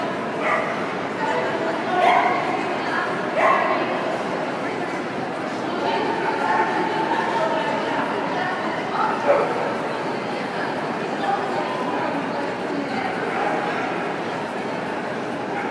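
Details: Smooth Fox Terriers in the show ring at the Golden Collar 2012 champions show, an indoor event; scattered sharp barks and yips rise over a steady crowd murmur and voices in a hall.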